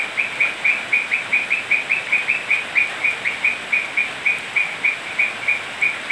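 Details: Night-time toad chorus during rain in Manu National Park, Cusco, Peru: rapid runs of brief, high, chirp-like croaks, several overlapping voices giving an almost continuous pulsing train, with rain hiss throughout.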